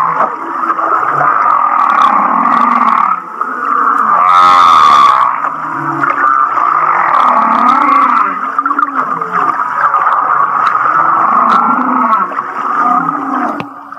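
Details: Humpback whale song off Kihei, Maui, said to sound like a laughing whale: continuous buzzy droning with wavering, bubbly low moans and a brief bright whistled burst midway, then more pulsing grunts.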